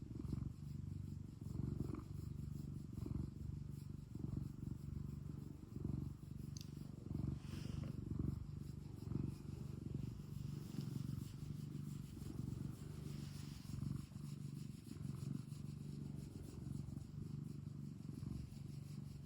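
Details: ['Domestic cat purring at home: a steady deep rumble that surges with each breath, around forty pulses a minute, with faint soft rustling in the middle.']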